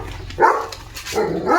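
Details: German Shepherd guarding the home gate in the morning, barking at a strange dog outside: two rough barks about a second apart, the second longer and drawn out, over a low background hum.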